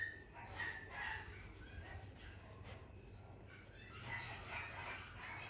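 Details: A male Lhasa Apso puppy gives short, high yips and soft barks in scattered bursts.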